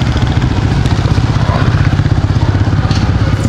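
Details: A loud, steady motorcycle engine rumbles throughout, with faint speech and clatter in the background.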